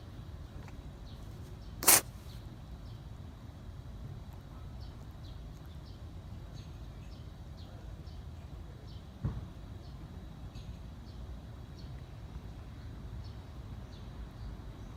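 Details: Sneezing ginger stray cat, sick with a cold, nose running and breathing uneasy, possibly herpes: a loud, abrupt sneeze near the start, then a softer snort-like puff several seconds later, over constant low background hum and light ticking.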